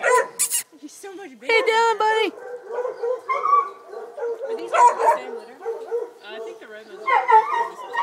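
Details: Eight-week-old Redbone Coonhound puppies yip and whimper in short, high, tremulous bursts, some rising into brief bawling cries, while a person talks over and between the calls; a four-month-old Black and Tan female is also present.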